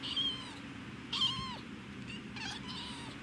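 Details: Domestic cat making short chirping calls with bright, stacked harmonics, each dropping in pitch, three of them about a second apart, followed by a few quick dry clicks over a steady low indoor hum.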